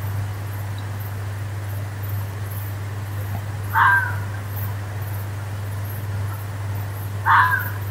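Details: A fox in a forest gives two short, harsh, hoarse screams several seconds apart over a low steady hum.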